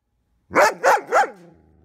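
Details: Ten-month-old German Shepherd in training in Virginia barking three times in quick succession, sharp loud barks about a third of a second apart, then quiet.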